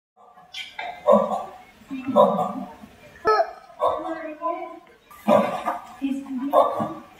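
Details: Radiated tortoises mating in the Madagascar house at Cologne Zoo. Rhythmic, hoarse, grunting moans repeat about once a second in seven bursts. Children's voices nearby were cleaned out of the recording.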